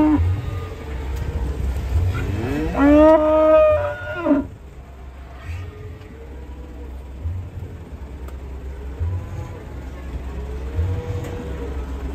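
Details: Cattle arriving by truck, many animals, some black, moo once in a loud, drawn-out harmonic low, rising slightly then falling for about two seconds, over steady low rumbling thumps of engines and faint voices.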